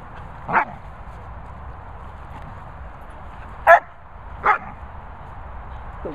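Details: Lurcher Tommy Tucker in whistle recall training gives three short, sharp barks spaced unevenly over six seconds, with a man's encouraging voice and steady background hiss between them.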